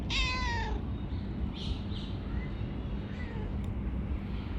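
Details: Calico cat, a friendly female that lives under a workplace, gives one clear drawn-out meow that slides downward, followed by faint softer sounds against constant low hum.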